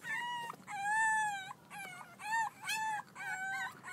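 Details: Playful six-week-old French Bulldog pups from Reddy's litter give drawn-out, high nasal whines, each held about half a second to a second, rising then falling, in four or five separate bursts.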